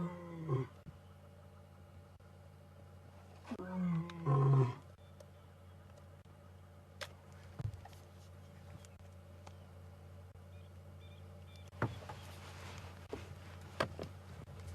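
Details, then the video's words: Ginger Matimba, a wild male lion seen on an evening safari drive, roaring as he comes very close to the vehicle: a deep moaning roar near the start, a longer two-part roar around four seconds, then quiet with a few faint knocks. "Ginger Matimba (roaring)"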